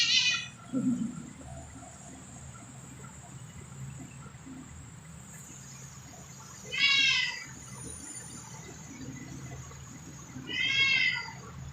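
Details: Stray cats, possibly kittens, grazing on grass on the evening of 2 September 2023, let out three separate meows: one brief at the start, then two fuller, wavering cries spaced several seconds apart against a faint constant hum.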